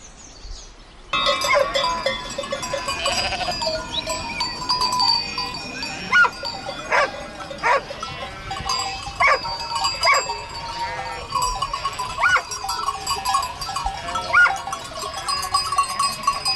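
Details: A flock of domestic sheep with lambs: repeated wavering bleats rise over a busy background, several animals calling in turn, with steady clatter and ringing tones that suggest bells throughout.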